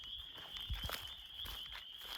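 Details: A spring forest chorus of spring peepers and wood frogs along the Ice Age Trail, Wisconsin, as the frogs wake up in early spring: a steady high shimmer of overlapping peeps.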